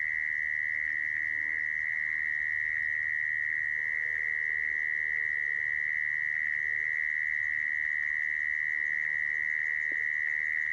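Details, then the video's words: Call of a mole cricket, used for trapping mole crickets; one long, even, ringing trill sustained unchanged for about eleven seconds, with a soft tick near the end. "Tiếng dế dũi dùng để bẫy"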